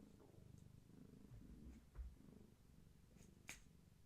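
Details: Steady low purr from a pregnant long-haired tabby named Gaia, resting indoors: a continuous rumbling pulse with breath-by-breath swells, broken by a couple of soft knocks and a faint click.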